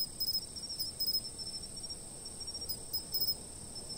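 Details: Insects chirping, filmed by a fixed camera for a sleep-aid recording: a steady high continuous trill with soft clusters of brief pulses near the top, repeating irregularly, over faint low background rumble.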